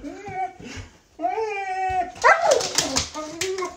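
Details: Excited dog with zoomies pulling its owner on rollerblades, giving long wavering whines with harmonic overtones, a clattering noise partway through, then a person urging it to wait and sit.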